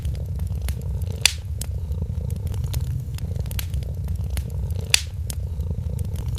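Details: Steady rumbling purr from a kitten dozing by a festive fireplace. Fire crackle fills the background, and two loud snaps land several seconds apart.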